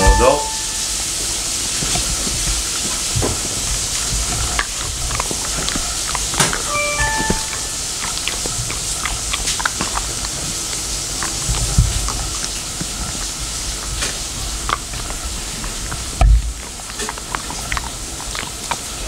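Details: Labradoodle named Mei chewing a dental chew after a woman tells her to wait, then hands it over; irregular crunching and clicking bites over a steady indoor hiss, with brief speech at the start.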